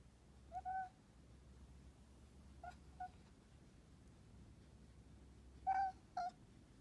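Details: A kitten chirping softly: a few brief, thin, high, steady-pitched chirps, some doubled, with long quiet gaps and a low background hum.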